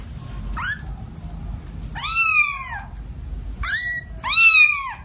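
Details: Domestic cat from a household of seven cats, indoors, giving four meows: a short rising one, then three longer arching, slightly nasal calls spaced about a second apart in a quiet room.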